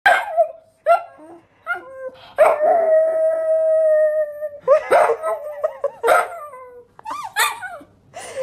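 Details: A small Jack Russell Terrier-Pug mix 'talks' while playing, in playful yips, warbles and a long sustained howl.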